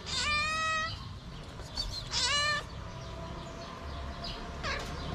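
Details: A feral stray cat, hungry and riding a tricycle, meows twice in loud, clear harmonic bursts about two seconds apart. A fainter third meow follows, over low background noise.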